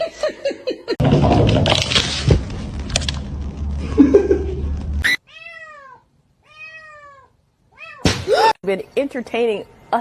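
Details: Domestic cat meowing. Two clear meows, each arching up then down, are separated by brief silence after a stretch of loud noise and talk. A further, higher meow comes amid people laughing and speaking.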